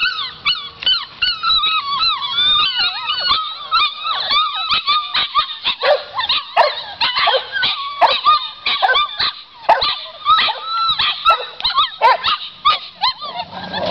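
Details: Several Pit Bull / Boxer mix puppies whimpering and whining almost nonstop, with high wavering cries and short yelps overlapping densely throughout.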